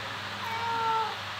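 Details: Pet cat uttering one clear, sustained meow lasting about half a second, steady and nasal with rich harmonics, against a constant low electrical hum and quiet room background while a person talks about feeding.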